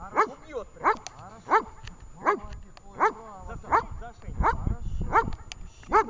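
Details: During training in Horlivka on 20 July 2019, the dog Vesta barks steadily, with about nine bright, bowed barks roughly every 0.7 seconds over a low rumbling background.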